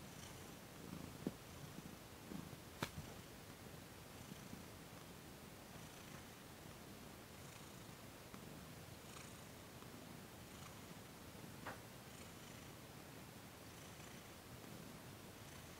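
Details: Thomas, a cat, relaxing under massage and Reiki in December 2021; a soft low purr under steady background hiss, with a few sharp clicks and light rustling.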